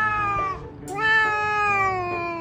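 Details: Stray cats quarrelling in a yard, one crying out at another: a long, drawn-out wailing meow with rich harmonics that dips slightly, breaks briefly near the middle, then holds steady to the end.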